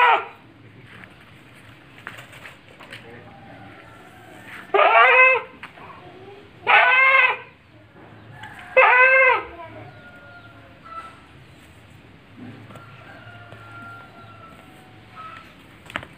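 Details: Etawa goat in a farm pen at Ngrambingan village, Panggul, Trenggalek, among four goats (three pregnant mothers, one young future buck). Three loud, wavering bleats about two seconds apart, then quiet pen noise with faint whistles.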